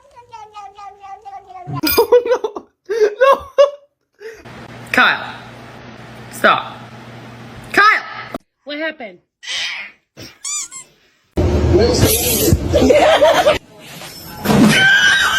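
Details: Domestic cat meowing indoors: a long, wavering harmonic meow opens, followed by shorter rising and falling meows and chirps, interleaved with human speech, laughter and bursts of loud room noise.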